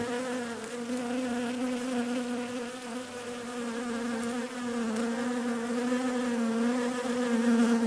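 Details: Bees droning with an unbroken low buzz and bright overtones, pitch sagging and recovering in slow waves, one faint tap near the midpoint, growing a little louder toward the end.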